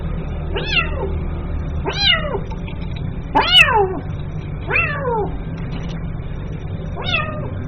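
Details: A kitten calls for its mother with five wavering, strained meows at uneven intervals, the middle one loudest and harshest, against a soft low background hum.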